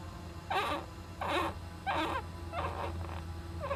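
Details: Young Japanese giant flying squirrel in an owl nest box, recorded 19 July 2010: a series of five short, broad raspy calls, each about a quarter second long, repeated roughly every 0.7 seconds over a steady low hum.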